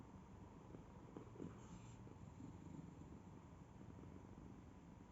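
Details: Domestic cat purring, a quiet, steady low rumble that continues without a break under faint background hiss.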